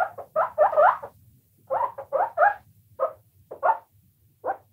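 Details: Pet guinea pigs, several together, squeak in quick clusters of two to four wavering, up-and-down squeals separated by brief pauses, with a soft low background hum throughout.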